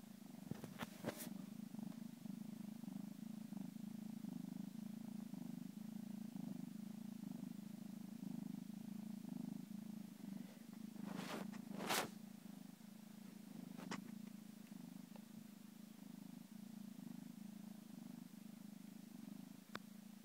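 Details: Purring from a 13-week-old Egyptian Mau kitten settling into its new home on the first day: an unbroken, even low rumble for twenty seconds, interrupted only by a few short knocks and rustles.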